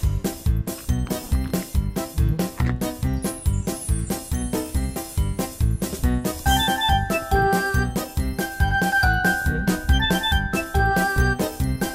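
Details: Upbeat music with steady percussion and jingling bell tones plays throughout, with no animal sounds heard.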